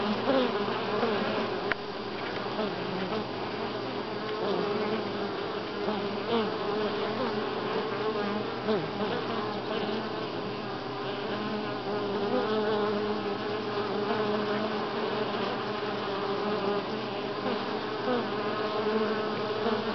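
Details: Honey bees at Grass Lake Sanctuary, week six, recorded July 25, 2011: a dense, steady hum of many bees with layered droning tones near the low-mid range, continuous throughout, one faint click early on.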